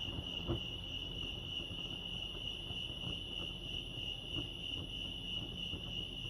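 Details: A continuous high-pitched cricket chirp, pulsing evenly, rings out at Lake Arrowhead, California, with scattered soft clicks and a low hum in the background.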